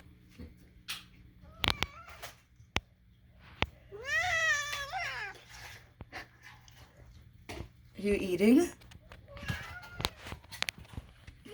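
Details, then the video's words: Domestic cat named Moo, indoors in a small room, gives a strange wavering meow with stacked harmonics, then a second lower, squeakier call a few seconds later; a woman talks to the cat between calls, asking whether it is eating. "Moo, why do you make such strange sounds?"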